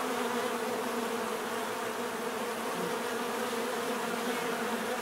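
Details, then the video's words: Dense natural buzzing of many bees, a steady, full hum with banded low tones and a bright hiss above, unchanging in loudness for the whole five seconds. "bees therapy relaxing natural buzzing sound"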